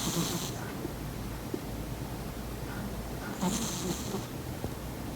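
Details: Maron, a Persian cat asleep beside her owner, snores with two breathy, rasping bursts about three seconds apart, soft low rumbles underneath, over a steady room hum.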